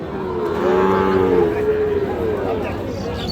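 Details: Sahiwal bull calves at Raniganj cattle market, 25 June 2026: one drawn-out, low, harmonic moo swells and fades over about a second and a half, with voices of people chattering in the busy market around it.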